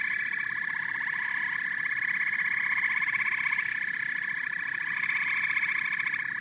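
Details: Unbroken frog and toad chorus with evenly pulsed, rattling croaks stacked in two pitch bands, holding nearly constant loudness throughout.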